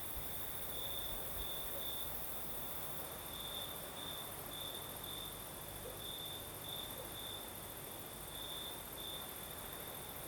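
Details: Crickets sing through a Crimean night in the south, their thin high trill pulsing in quick repeated bursts, set against a gentle, constant rush of night breeze.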